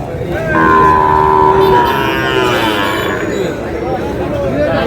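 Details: Sahiwal cattle, bulls and heifer calves at a cattle market where a farmer from Barishal buys stock, 19 August: a long, steady, harmonic moo lasting over a second, heard over constant crowd chatter and bargaining voices.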